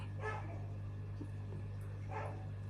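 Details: A large pet dog barks in the background indoors while an aquarium of Tanganyikan cichlids is filmed; two short, muffled barks, one at the start and one near the end, over a steady low electrical hum.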